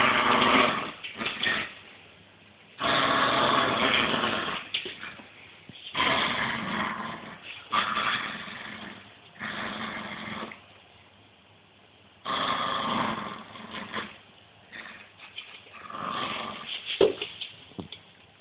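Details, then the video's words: Hedvig, a dog tugging at a rope in play, growls whenever a hand rests on her head: gravelly, throaty growls in bursts of two to three seconds, about twenty per minute, separated by brief quiet gaps. "Hedvig playing (growling) with a rope"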